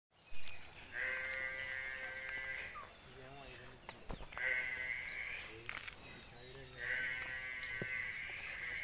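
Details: Ongole breed cow calf giving three drawn-out, high, steady-pitched bleating calls of about one and a half seconds each, spaced a few seconds apart, over a constant high hiss and faint background noise.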